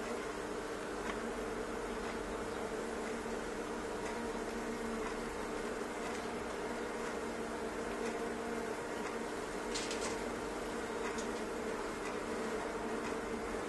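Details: Thousands of honey bees swarming inside a fireplace stove produce a dense, continuous droning buzz with a steady low hum, unbroken throughout, with a few faint clicks and taps rising above it.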